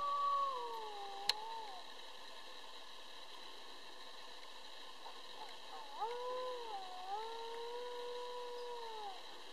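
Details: A pack of coyotes, about twelve counted, howling together. Several voices give overlapping gliding howls that fall and then rise, with high yips laid over them, against a steady high-pitched background hum.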